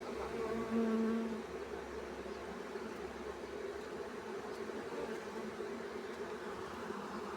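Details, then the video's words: Swarm of honey bees being caught; a dense, steady droning hum with a low whine and layered tones, continuous throughout without pause. "honey bees swarm catch easily"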